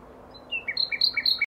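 Asian small-clawed otter giving a quick run of high, bird-like chirps and squeaks.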